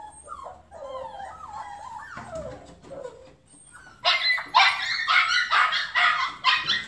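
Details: Border Collie whining in wavering, tonal cries, then breaking into a rapid series of loud, harsh, high barks roughly twice per second.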